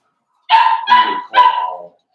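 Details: Four-week-old Cavalier King Charles Spaniel puppies from Daisy's litter in their indoor pen: three loud, high yelps in quick succession, each held about a third of a second and falling slightly at the end, with a quiet room behind.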